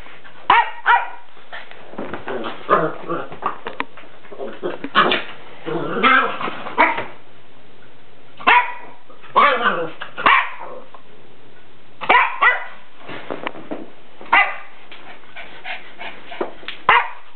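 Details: Salem, a pet dog, playing with a soccer ball, gives short, sharp barks in irregular bursts. The barks come in clusters of two or three with brief pauses between them, and faint voices are heard in the background.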